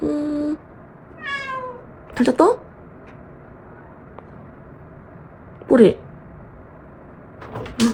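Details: Pet cat meowing to wake its owner in the morning in Korea: a few short rising-falling meows spaced several seconds apart in a quiet indoor room, following a woman's soft sleepy speech.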